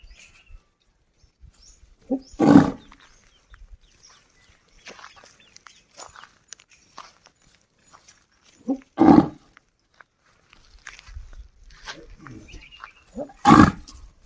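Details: A village desi bull calls out to a friend to return home with three abrupt, coarse bellows spaced several seconds apart, each opening with a brief grunt, over scattered rustling and light background noise.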